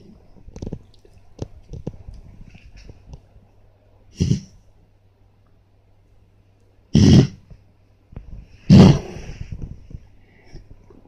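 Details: Fami, a pet dog, having a reverse sneeze: three sharp, harsh snorting bursts, at about four, seven and nine seconds, with soft snuffling and faint clicks between them.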